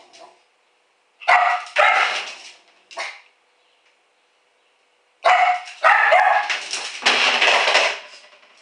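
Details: Female house dog, recorded by a home camera while alone and raiding the trash, lets out loud, harsh barks: a short pair, a single bark, then a long run of rapid overlapping barks.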